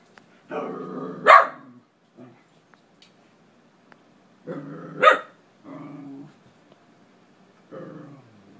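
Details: Domestic dog barking at an empty closet for several minutes; two sharp barks about four seconds apart, separated by low, rumbling growls and whining murmurs in a quiet room.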